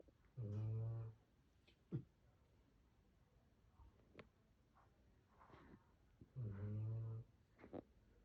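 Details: Phoebe Star, a sleeping dog, snoring with two long low rumbling snores about six seconds apart, rich in overtones, with small snuffles and clicks between in a quiet room.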